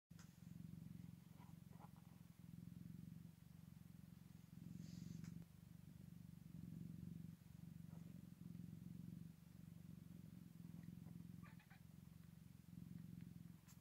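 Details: Scottish Fold cat at a birth, with newborn kittens on their first day: steady low rumbling purr in rhythmic pulses of a second or so, continuous throughout, with faint soft clicks and rustles above it.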